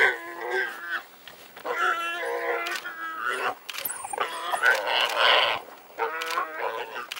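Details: Wild dogs working to dig a warthog out of its burrow. Loud, harmonic, wavering squeals rise and fall in repeated bursts of about a second, broken by brief noisy scuffles.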